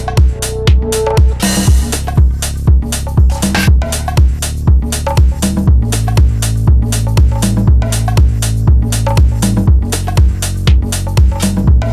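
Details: Electronic dance music with a steady, regular thumping beat and synth chords; no animal calls are heard.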